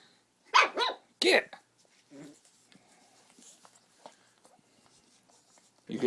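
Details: Chubbs, a pug puppy, playing with a squeaky toy: two sharp, loud barks about 0.7 seconds apart near the start, then soft rustling and faint noises, with a human voice rising at the end.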